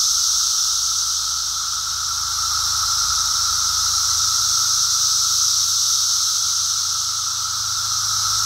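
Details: Unbroken high, hissing drone from a large Brood X periodical cicada emergence, many insects calling together on a walk, level and constant from start to finish.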